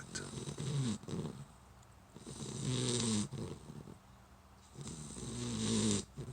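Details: Sleeping puppy, newly brought home, snoring in its favorite spot; three drawn-out, rough breaths roughly two seconds apart, each carrying a faint whistling tone over the low rasp.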